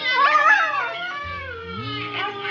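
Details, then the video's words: Siberian husky singing along to music, giving drawn-out wavering howls that slide up and down, mixed with a sung "Do-Re-Mi" melody and a low instrumental backing. "the Singing Husky"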